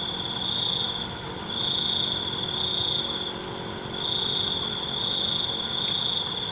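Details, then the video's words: Crickets at night, a calming natural soundscape: a steady high-pitched trill in long unbroken bursts separated by short gaps, over a constant layered insect hum with faint higher buzzing bands. "ALUNAN CENGKERIK MALAM"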